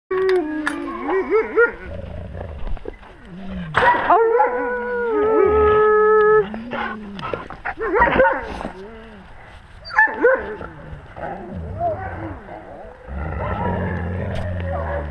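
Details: Wolves with their pack, recorded on a GoPro at wolf level; overlapping wavering whines and high yips, with one drawn-out steady howl-like tone partway through, then more whimpering voices close by.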